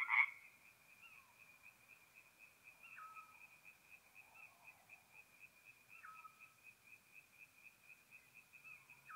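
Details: Night chorus of tree frogs at a forest pond in north-east Italy, mid-April, heard softly as a steady high buzzing trill, with a sharp knock at the start and a short whistled note about every three seconds.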